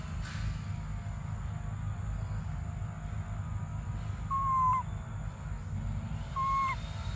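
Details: Baby monkey Briar crying desperately for milk: two drawn-out, whistled, downward-sliding cries a couple of seconds apart, with a steady low rumble of background noise.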